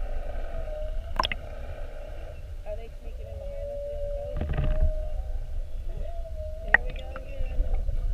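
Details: Whales mugging a whale-watch boat, spy-hopping repeatedly on 21 February 2019, heard underwater: drawn-out, gently wavering tonal moans run through the clip, broken by sharp broadband bursts and pops, with a steady low engine and water rumble.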